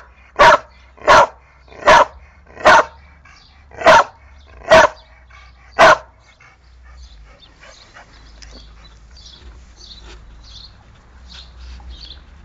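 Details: Seven loud, evenly spaced barks from a dog, roughly one every second, followed by quiet with faint distant sounds and a low hum.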